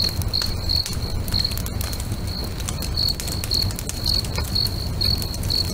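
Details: Lakeside crickets at sunset give clear high chirps roughly twice a second, slightly longer and more drawn-out, mixed with sharp snaps and crackles from a nearby bonfire.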